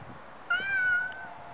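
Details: A single stray cat in Japan gives one clear, sustained meow of under a second, steady in pitch with a slight rise and fall, recorded on a Nikon D5300 over faint background noise.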